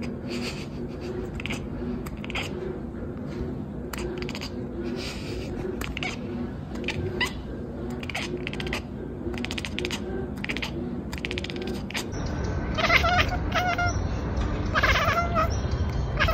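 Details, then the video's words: Cat chattering in a compilation: rapid clicky bursts repeated roughly three times a second, turning into louder, harmonic chirps in the last few seconds, over a steady low indoor hum. "Cat Chirping Chattering"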